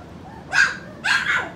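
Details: Four-week-old puppies from Skittles' litter give two sharp, bright yelps about half a second apart, each a burst of noisy harmonics against a quiet room.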